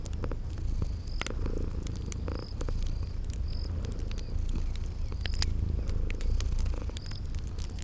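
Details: Low, even purring of sleeping kitties beside a crackling fire in spring garden ambience, the rumble pulsing softly while fire pops and scattered thin insect chirps sound above it.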